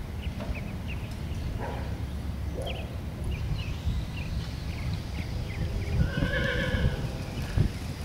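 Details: Buckskin Andalusian P.R.E. filly: scattered hoof clicks for several seconds, then a single harmonic, quavering whinny near the end, set against a constant low background rumble.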